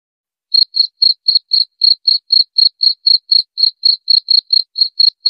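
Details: After half a second of silence, a cricket starts a brisk series of sharp, high chirps repeated around four times per second, continuing to the end with nothing else audible.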